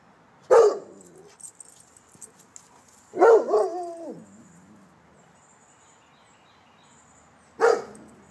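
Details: A male Rottweiler gives three loud, deep barks seconds apart during a home-protection alarm test around the backyard, guarding his home.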